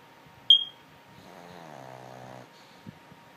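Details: Lulu, a sleeping dog, gives a single drawn-out, throaty snore lasting about a second, low and rattling, after a sharp squeak near the start and before a soft click, in a quiet room.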